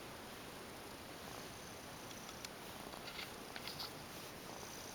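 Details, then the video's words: Female tuxedo cat, a former stray, lying down relaxed while being brushed and massaged indoors, purring in a soft, steady, continuous rumble under faint hiss, with a few light rustles near the end. "Cute Tuxedo Cat lays down and is relaxed for a body brush & massage with lots of purring !!"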